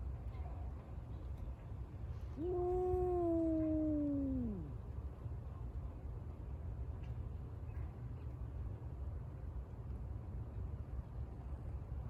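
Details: Cat at Senrien West Park, described as a rival of another local cat, recorded 5 December 2022. It gives a single long meow that rises slightly, then slides downward over about two seconds, against steady low background rumble.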